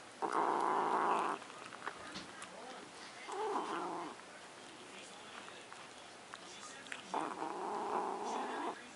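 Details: Luna, a pet cat, guarding her macaroni and cheese: three drawn-out, harmonic yowling growls, each about a second long, separated by quieter gaps with faint handling noise.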